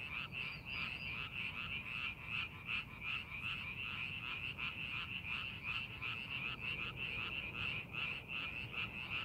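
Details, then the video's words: Frogs calling in a rice paddy being prepared for farming, amid fine scenery: a dense chorus of rapid, pulsing croaks, roughly three per second, overlapping into a steady trilling wash with low background rumble. "논에서 개구리 울음소리"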